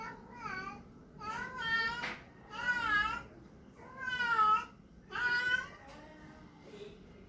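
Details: Male Persian cat kept indoors, calling while trying to find a mate: five drawn-out, wavering yowls, each rising then falling in pitch, about half a second to a second long, separated by short pauses in a quiet room.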